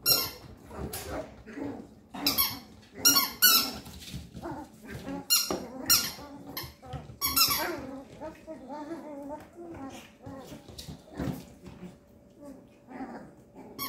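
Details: Thirteen-day-old male Papillon pup squealing almost without pause indoors. Dense, overlapping high-pitched cries and whimpers rise and fall in quick bursts, and lower murmuring sounds mix underneath.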